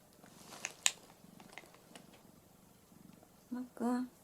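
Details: Orange tabby cat Mac, perched on its owner's belly indoors, gives short bursts of soft, low pulsing purrs between brief pauses and small clicks, followed at the end by a person's voice.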